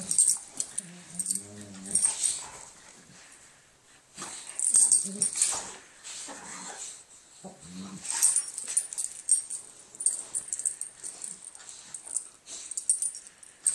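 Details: Two dogs, Mara and Hazel, at play on Christmas Eve 2011: short, low, throaty growl-like vocalisations come at about 0.5–2, 5 and 8 seconds over constant bright jingling and rustling.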